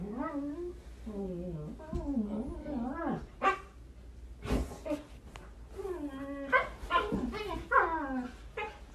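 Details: Husky dogs, described as crazy and hyperactive, give a run of wavering, rising and falling talk-like calls in short bursts, with sharp clicks and knocks between them.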